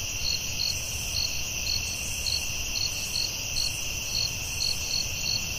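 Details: Night forest crickets: a continuous high-pitched ringing trill with short bright pulses recurring roughly every half second, soft low hum beneath.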